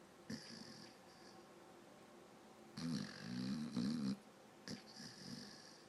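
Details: Dog asleep and snoring, twitching as it sleeps: a brief snort, a long silent gap, then a loud drawn-out wavering snore of about one and a half seconds, followed by a shorter, softer rasping breath.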